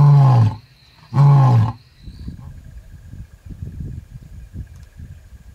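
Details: Wild lion near a pride with seven cubs: two deep, loud grunting roars about half a second each, followed by softer low rumbling and engine-like background noise.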